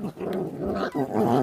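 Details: Feral dog puppy growling while eating, from a litter whose mother gave birth but does not care for them; low rumbling growl with wavering tones, rising louder near the end.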